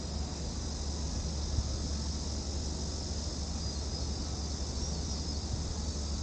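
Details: Continuous high, even shrill of cicadas in Gwanggyo Lake Park, Korea, on 8 September 2021, filmed in VR360; the drone holds steady without breaks over a low background hum.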